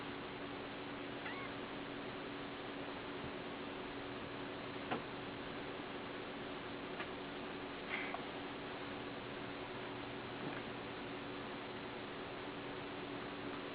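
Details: Kitten giving a few faint, short meows spaced several seconds apart, with the clearest near the middle, over a steady low indoor hum.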